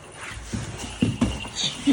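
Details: Two Great Danes, Gertrude (tan) and Edith (blue), play-wrestling indoors on a rainy day and 'smack talking'. Short, low, rough grumbling pulses come in bursts near the end, with shuffling noise and a woman's voice around them.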